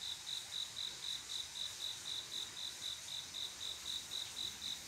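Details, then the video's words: Courting male cricket calling a female on a still summer night: crisp, high-pitched chirps in a steady rhythm near four per second, with a gentle wash of distant insect noise. "조용한여름밤 귀뚜라미소리"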